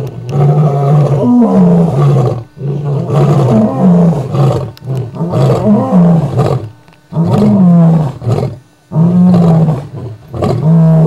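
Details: A coalition of five male lions roaring at the full moon in Kruger Park, deep rumbling bouts that rise and fall, several voices overlapping.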